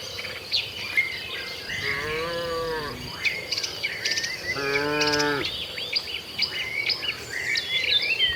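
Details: Tame village cattle heading to their shed in a herd, two drawn-out moos about three seconds apart, the second steadier, with lively twittering birds throughout.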